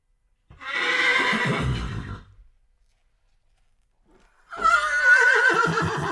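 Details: Two loud horse whinnies for dog noise desensitization, separated by about two seconds of silence; each is a harsh, quavering neigh with dense harmonics, the second higher and more tremulous, cut off at the end.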